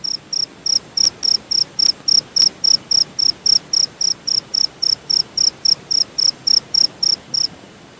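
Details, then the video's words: Cricket from Purworejo, Central Java, Indonesia, giving loud, evenly spaced high-pitched chirps, roughly three to four per second, each a short buzzy pulse, with a few faint clicks in the background. "Suara Jangkrik jawa"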